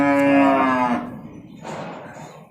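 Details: Calf among 17 calves being delivered to a farm in Nong Bua Lam Phu province, Thailand: a single loud, rich, harmonic moo held for about one second, then falling away, followed by faint background noise.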